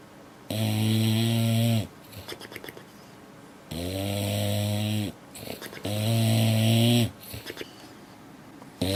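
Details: A dog asleep, a female said to wake herself with her big snores: three long, throaty, vibrating snores, each over a second, then the start of a fourth, with faint breathy sounds in the pauses.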